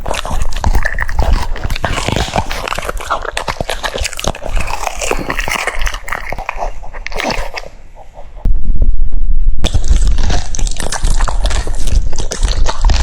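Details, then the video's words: Cucumber-eating French Bulldog, fast crunching and slurpy chewing, a brief quieter pause near eight seconds before loud crisp chomping resumes. "The sound of chewing cucumbers"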